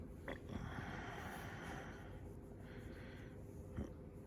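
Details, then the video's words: A Shiba Inu in its everyday routine gives short snorting bursts early on, then a longer breathy rush through the middle and another sharp snort near the end, all over a constant low background hum. "柴犬日常ルーティン くしゃみ"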